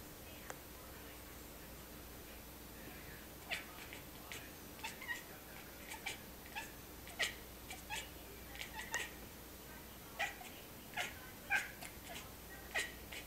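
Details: Pistol, a cat, making a long series of short, sharp chirping calls, some quick and clustered, others spaced out, against a steady faint indoor hum.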